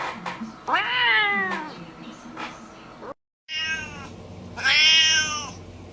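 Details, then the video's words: Domestic cat, described as angry, letting out drawn-out strained meows that rise and then fall, two long calls separated by a brief silence, over a low room hum. "Weird Cat Sounds!"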